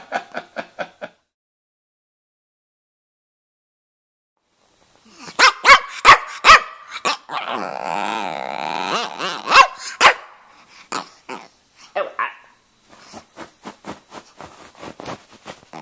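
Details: Stanley, a red rough-coat Brussels Griffon male about two and a half years old living in Miami, 'talking': quick bursts of short yips, then a drawn-out warbling moan-like howl, followed by more rapid yappy whines.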